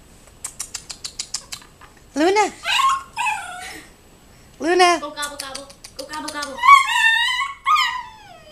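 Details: A 12-week-old female Siberian Husky puppy, on seeing a turkey outside, gives quick yips, then drawn-out, wavering whines and yowls that rise and fall.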